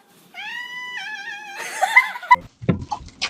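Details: Domestic cat "talking" with its owners, who ask whether it wants to eat: one long, drawn-out meow that breaks into warbling, chattering sounds, followed by a woman's voice.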